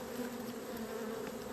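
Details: Kept honey bees on 28 April 2026, described by their keeper as gone crazy after scouts announced a new home, swarming toward the hive entrance; a dense, steady low hum with a droning fundamental and an even overtone, continuous throughout.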